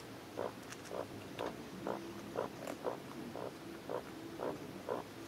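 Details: Rhythmic little squeaks, roughly two per second, come from newborn Maine Coon kittens kept at a cattery in Saint Petersburg, Russia, each call short and slightly nasal against a hushed room.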